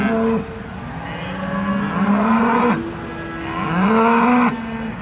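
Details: Charolais beef cattle at the agricultural show at South Inch Park, Perth, Perthshire, Scotland: two long, deep moos with rising then falling harmonic tones, each lasting about two seconds, over a steady crowd and showground hum.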